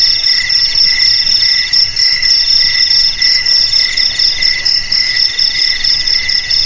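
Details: Chorus of crickets used to repel rats from houses, garages, warehouses and paddies: bright, high-pitched pulsing trills run continuously in layered tones, rising and falling slightly in loudness, with no other sounds.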